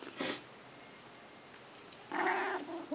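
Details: Domestic cat sitting in a bathroom sink while grooming itself, giving one short, clear, tonal meow with rich harmonics late in the clip, after a brief broadband rustle near the start; otherwise quiet indoors.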